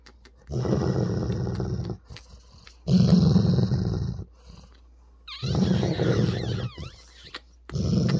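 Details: Annoyed male Weimaraner growling over his ball as his owner teases him, 16 October 2022; four low, throaty growl bursts of one to two seconds, with short squeaky chirping sounds over one burst and background music.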